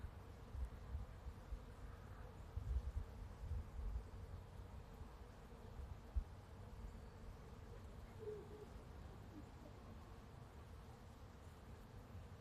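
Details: Bees hum steadily in a soft, continuous drone beneath a heavy low rumble of wind, pollinating a blossoming apple tree in a front yard.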